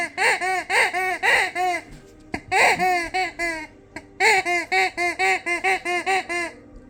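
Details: Siberian Huskies singing along to their squeaky toy: a fast run of short, arched, yodel-like notes, about four per second, with a brief pause before the series resumes.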